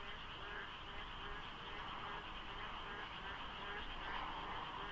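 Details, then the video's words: Dawn frog chorus in the rainy season near the Deokso IC highway, faint fog and little traffic; many voices overlap in rapid pulsed croaks, roughly two per second, above low background road hum. "장마 중인 새벽 고속도로 덕소IC에 어둠을 가득 채운 개구리 소리"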